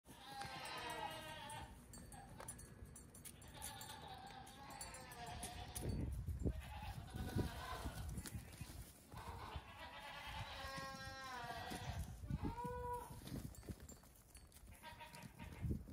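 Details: Several goat kids close to two weeks old, let out in the morning to hop about on a farm, giving repeated wavering bleats with stacked harmonics, several overlapping, over low thumping and handling noise.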